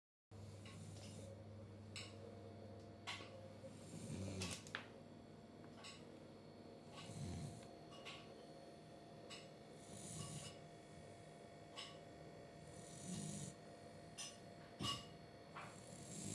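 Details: Goose the beagle, a pet dog, asleep indoors after a nice walk and a busy day, snores softly in low rumbling breaths roughly every three seconds, with faint clicks and rustles in a quiet small room.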